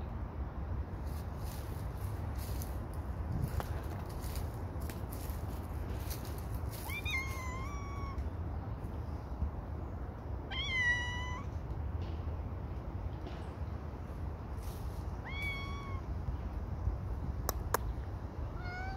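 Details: Louis the cat calls while coming down from a tree: a series of drawn-out, harmonic meows near seconds 7, 11, 15 and 19, set against steady low rumbling wind or background noise, with a person calling his name.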